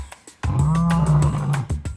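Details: A male lion in a zoo gives a deep, sustained roar that can be heard across the whole zoo; the roar warns rivals and predators away from his territory.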